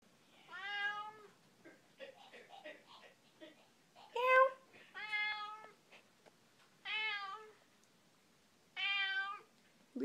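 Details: Pet cat named Figaro meowing back and forth with her owner, who sings and then talks: several drawn-out harmonic meows, some rising then falling, spaced a second or two apart between softer human vocal sounds indoors.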